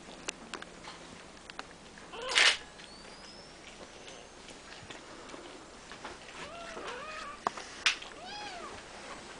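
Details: Three-week-old Siamese kittens in a play-pen with their mother and grandfather: several thin, high arched mews in a cluster near the end, after a loud rustling burst and scattered clicks and taps indoors.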